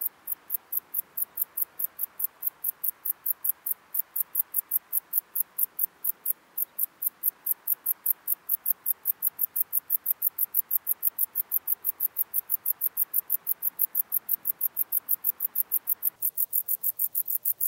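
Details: Bog meadow bush-cricket, Metrioptera brachyptera, recorded at Andechs, Germany, on 21 September 2018 with an ultrasound detector: a steady train of short, sharp high-pitched clicks, about three per second, continuing evenly throughout with little background.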